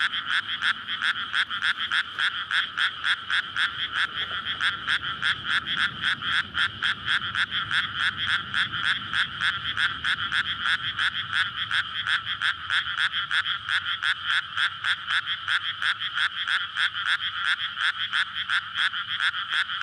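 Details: Frogs calling for courtship on a May night in a flooded rice paddy near a road in a residential area, captured with a SONY PCM-D100. Rapid, even croaks about three or four per second, continuous and loud, faint traffic noise underneath.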